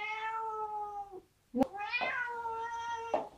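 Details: Young cat, about four months old and taught to walk on a leash, on a trip in Italy, gives two long, loud meows: steady harmonic cries with a short pause between, the second slightly rising and then falling, before a walk.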